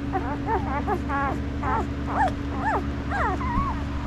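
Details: Five-day-old puppies whimper and squeal in a rapid string of short, rising-and-falling high cries, about one per half second, over a steady low mechanical hum.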